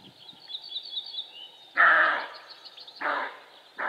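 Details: Male roe deer barking: three hoarse, broad rasping barks, the first longest, spaced about a second apart, over a background of high twittering birdsong.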